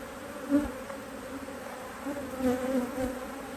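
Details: Honey bees humming at an opened Hive IQ beehive in Australia during a stretch of beautiful autumn weather in 2023; an even, low droning buzz with brief swells as individual bees pass nearby.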